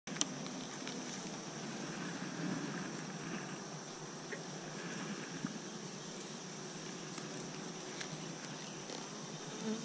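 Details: Honey bees at three Apimaye beehives, one recently requeened and one given a fifth chamber for honey late in the season, make a steady, dense, low droning hum without pause, with occasional faint clicks.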